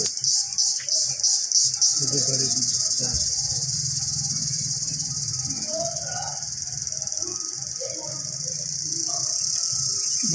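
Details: An Indian cicada's shrill, steady buzzing in the jungle fills the air, with faint low voices underneath.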